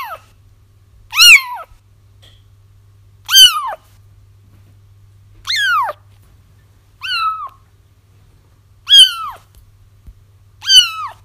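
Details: Plaintive kitten cries meant to draw a feral mother cat into a trap; six piercing mews, some short and bent downward, spaced about two seconds apart with a steady low hum beneath.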